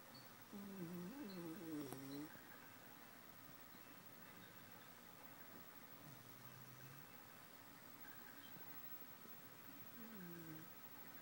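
A Basenji snores in its sleep, starting with a wavering, whistly groan that rises and falls. Softer low rumbles follow at intervals of several seconds in a quiet room.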